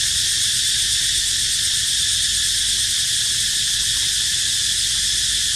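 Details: Cicada crying near where baby monkeys live, unbroken shrill buzzing drone at constant loudness, faint low rumble beneath.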